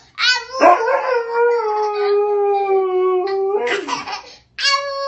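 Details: Dog howling in reply to a baby's howling: a sharp rising onset, then one long, steady, slightly falling howl held about three seconds, a short yelping break, and a fresh howl starting.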